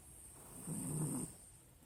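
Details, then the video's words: Sleeping Pinscher called Nina lets out a single drawn-out, low, rumbling snore of about half a second. "Nina pinscher roncando"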